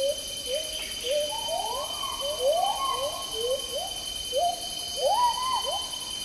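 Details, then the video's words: Agile gibbon, also called black-handed gibbon, calling in tropical rainforest in Malaysia: a run of rising, sliding whooping notes, roughly two per second, climbing higher and more excited, over a constant high insect drone. "Agile Gibbon Song & Calls"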